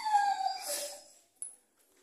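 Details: Cane Corso dog giving a single high whine that slides downward with bright overtones, then fades into breathy noise, followed by a brief sharp click.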